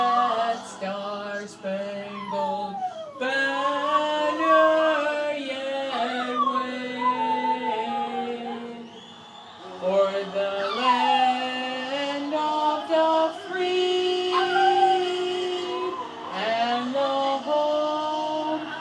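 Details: Peka-pom-poo dog howling along to the Star-Spangled Banner at game 2 of a Red Wings–Bruins series: repeated wavering howls that slide up and down in pitch, with the song playing and a person praising the dog at the end.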